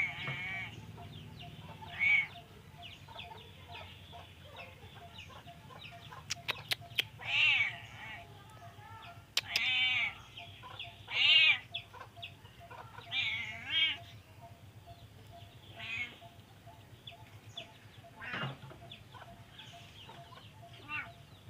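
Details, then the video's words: Drowsy cat reluctant to wake, seemingly ill, meowing repeatedly: bent, wavering meows spaced every two to three seconds, with a few sharp clicks and a faint steady tone and low hum behind. "Kucing lucu pengennya tidur terus males bangun, seperti kucing lagi sakit, Suara Kucing"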